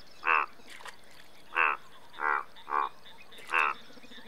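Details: Indian bullfrog croaking: five loud, harsh, pulsed croaks spaced irregularly over four seconds, each short and rasping, with a quiet background between calls.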